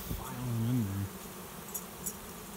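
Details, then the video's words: Honey bee swarm settling into a swarm trap behind a garage after flying overhead as a cloud; one close bee gives a loud droning buzz that rises slightly in pitch for about a second, over a steady low hum of many bees. "Swarm of honey bees finds new home"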